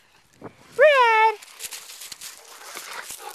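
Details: One of two Cane Corsos, Phoenix (nicknamed Red) and Wolverina, lets out a single loud, high yelp of about half a second. It rises sharply, then slides downward, and is followed by soft rustling and footstep-like sounds outdoors.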